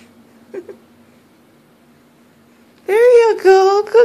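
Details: Puppy Molina whines indoors, wanting help up the stairs. After quiet with a small squeak, a loud, sustained, slightly arching cry is broken into three pulses. Encouraging human voice nearby.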